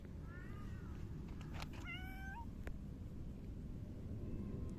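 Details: A silver tabby cat rubbing against someone on 29 July 2024 lets out a soft, faint meow followed by a clearer, rising, upturned meow, set against steady low rumbling noise.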